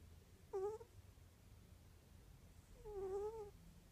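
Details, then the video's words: Pet cat indoors, possibly snoring, making two soft, tonal moaning squeaks, each under a second, steady then gently rising and falling in pitch, spaced about two seconds apart over a quiet, faint background. "roncando o algo asi"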